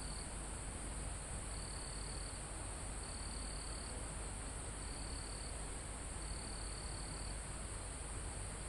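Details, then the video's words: Crickets and other insects recorded live in a calm forest near the top of a mountain: a steady high shrill drone with fainter buzzing trills pulsing about every second and a half, over a broad hiss of wind in the foliage. "Calm Forest in Mountain With Crickets, Insects Sound"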